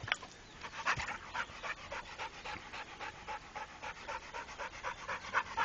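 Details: Trained Pit Bull called Rako panting hard and fast, loud breathy bursts about four per second, with a few faint whiny squeaks mixed in.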